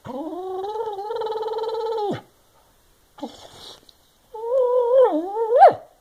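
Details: Barney Bailey, a senior Boston Terrier/Bassett Hound mix dog in North Carolina, complaining indoors that a wastebasket blocks his walks around the house: a long, sustained, wavering whine-howl, a brief grumble, then a rising, bending moan.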